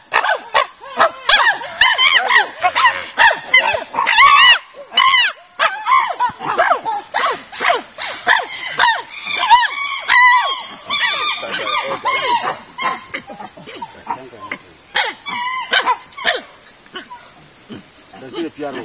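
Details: Chimpanzees housed in an 18-hectare natural habitat enclosure at Afi Mountain Drill Ranch, Nigeria, produce a dense, overlapping chorus of barking hoots and shrill cries, busiest early on, then thinning into scattered calls toward the end.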